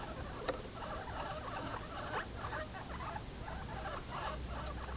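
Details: Guinea pigs making rapid short repeated chirping or chutting bursts in an irregular series, soft against a steady low hum, with a sharp click near the start.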